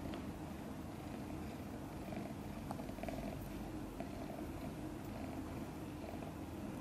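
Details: A few-day-old kitten named Guitar, from mother cat Chan's litter of five, sleeps soundly while purring; the soft, low rhythmic rumble stays steady, with faint light taps now and then.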